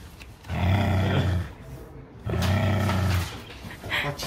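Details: Charlie, a neutered male Japanese Spitz born around 2015, growling indoors in two long, low, rumbling bursts of about a second each, separated by a short pause, with a brief voice near the end.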